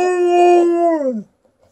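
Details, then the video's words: Alaskan Malamute Liza, female, ends a howl with a held tone that slides downward and fades out after about a second, with faint room echo. "Alaskan Malamute showing off her howling skills"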